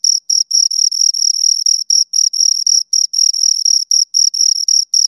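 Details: High-pitched stridulation from two crickets heard up close, chirp bursts arriving about four times a second with occasional longer gaps, clean background without other sounds.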